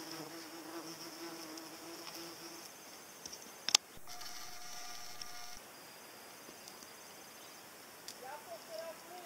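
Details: Paper wasp buzzing: a low, steady droning hum lasts about two and a half seconds, then a sharp click, followed by a thinner, higher whine for roughly two seconds and a quiet background.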